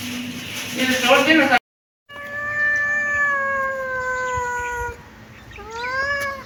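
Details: Kitten meowing: after a brief burst of sound and a short silence, one long, slowly falling meow lasting about three seconds, then a shorter rising meow.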